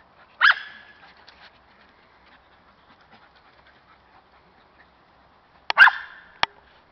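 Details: A female Cairn Terrier, keen on hunting squirrels, gives two sharp, high barks about five seconds apart.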